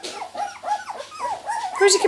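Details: Two-week-old miniature Labradoodle puppies from Rosie's litter, born 31 July 2009, give thin squeaky whimpers, each an arched, rising-then-falling whine, coming in quick succession. Sharper, higher squeaks close the stretch, and a person's voice is heard briefly.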